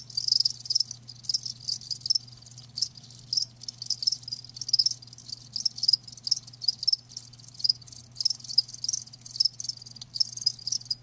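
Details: Live crickets keep up rapid high-pitched chirping, short pulses crowding together with brief louder peaks, backed by a low continuous hum and nothing else.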